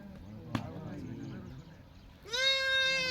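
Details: Sheep from a herd of 66 breeding ewes and 22 lambs in India; a man talks in Telugu, then a strong wavering bleat begins and holds to the end.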